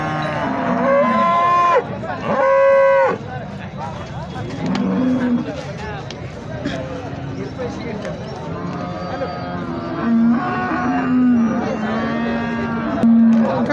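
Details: Several low moos from Holstein Friesian cows at Sangola cattle market in India, some short and some drawn out and wavering, scattered across the recording between bursts of talking, bargaining and crowd noise.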